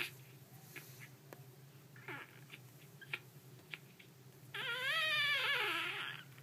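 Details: Squeaky puppies: soft scattered clicks and rustles, then a loud, high whining squeal wavering up and down in pitch for nearly two seconds before fading.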